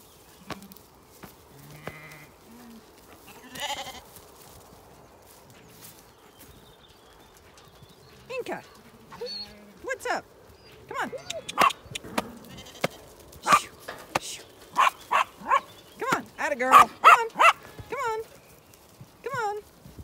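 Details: Many Zwartbles lambs bleating while fed breakfast one early summer morning on a County Kilkenny farm in Ireland: wavering, quavering bleats building from sparse to a rapid, overlapping chorus, mixed with clanks and knocks of feeding.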